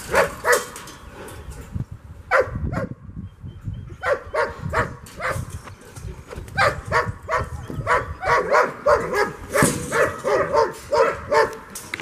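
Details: German Shepherd at frisbee play outside, April 30, 2022, giving excited, irregular barks in quick runs, roughly three per second at the busiest moments, with a brief pause near three seconds and some ground noise.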